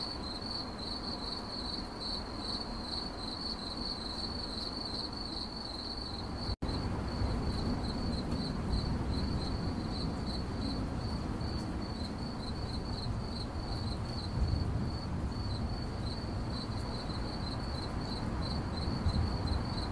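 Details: Continuous cricket chirping, a fast pulsed high trill at unchanging pitch; a brief dropout cuts the sound early on, then the chirping resumes over a somewhat louder low rumble.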